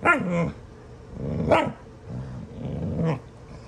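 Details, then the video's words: Dogs Astrid and Brielle horsing around in rough play; Astrid sounds mean, giving sharp barks mixed with snarling growls, four loud bursts spaced about a second and a half apart over low room hum. "Astrid! & Brielle horsing around! Astrid sounds so mean!"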